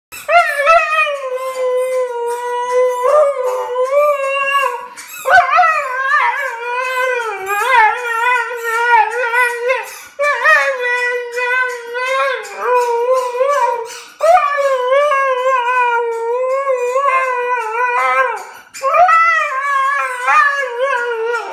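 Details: Siberian Husky howling along with a squeaky toy: long, wavering, tonal howls rising and falling in pitch, in phrases of a few seconds with brief breaks between them.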